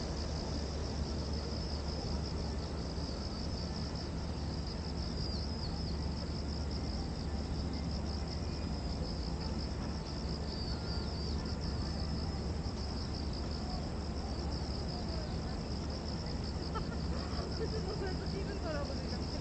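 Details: Cicadas drone in a steady, high, shimmering buzz over a low background rumble at Gwanggyo Lake Park, Korea, on 8 September 2021.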